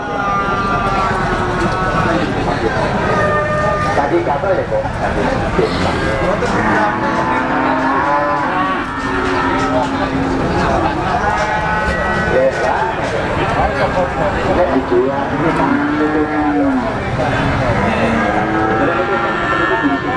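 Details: Pegon cattle at Blitar's cattle market, East Java, which opens on the Javanese market days Pon and Legi; scattered moos, one long and clear near the end, sound amid busy crowd talk and vehicle noise.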